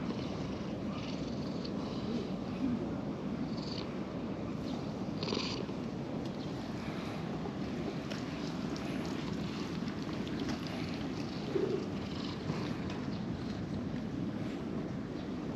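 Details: Purring from a plump orange-and-white cat in a park looked after by stray-cat volunteers: a steady low rumble with fine rapid pulsing throughout, and a few faint higher rustles and soft clicks over it.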